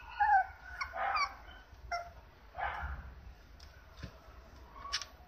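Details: Apricot female Toy Poodle puppy aged 58 days, filmed 19 April at an Osaka breeder: a few sharp high yips with a whine, separated by quiet pauses, over faint low hum.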